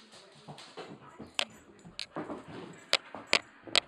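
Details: Rottweiler getting hyper at night, giving short whimpering noises amid scuffling, with several sharp clicking or tapping sounds standing out near the end.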